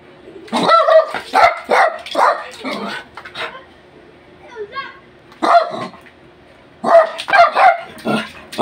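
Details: A six-year-old male Japanese Spitz and Shih Tzu cross, described as angry, gives a run of short, wavering howls and yowls.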